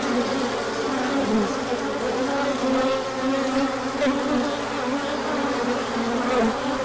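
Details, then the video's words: Many honeybees on a large orientation flight as the sun comes out after colder weather: a dense, steady droning hum with overlapping wavering buzz tones from many wings, sustained throughout without pause. "Large Orientation Flight."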